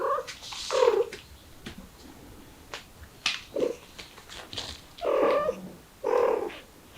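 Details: Street cat mother with kittens, trying to flee through a window: low, wavering meows, two short ones early and two longer ones near the end, with scattered clicks between.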